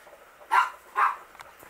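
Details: Nine-week-old Miniature Pinscher puppies from the R litter: two short, high yelps about half a second apart, then quiet room tone.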